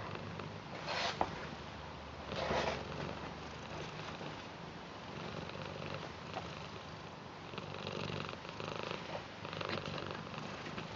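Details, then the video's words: Purring British Shorthair cat, Garfield, greeting its grandad indoors with affection; steady low purring swells and fades in several louder bursts, with occasional soft snuffling sounds. "Garfield British Shorthair Cat Purr Blue Welcome And Loves Their Grandad"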